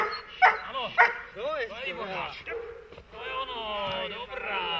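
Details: Dog during protection training, German Shepherd or Malinois, giving a series of high, arching whines and yelps that rise and fall, followed by a longer wavering whimper; a person talks in the background.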